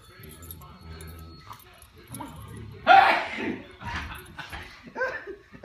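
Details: A pet dog barks indoors on a couch. One loud, sharp bark is followed by a few softer yaps, while a person talks nearby and a television plays in the background.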